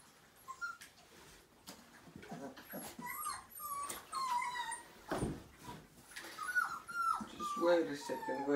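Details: Five-week-old Siberian Husky puppy from a litter of nine during its first bath indoors, giving short thin whimpers and arched whines around mid pitch, scattered between human speech and handling noises in a small room.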